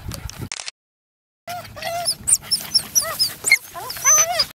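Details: Parson Russell Terrier puppies about 11 weeks old playing together; after a short gap, rapid high squeaky whines and yelps, some rising and falling in arcs, follow one another densely.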